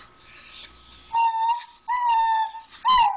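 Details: Pet dog begging for grilled cheese, giving three long, steady, high-pitched whines, each held about half a second, the last one bending upward and then down, after a quiet stretch.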